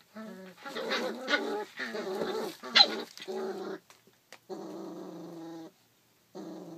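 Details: Rough Collie puppy, 33 days old, filmed 28 July 2012: a run of loud, tonal, harmonic growling whines in sustained bursts of about a second, then a short pause and two steadier held notes, with no other sounds.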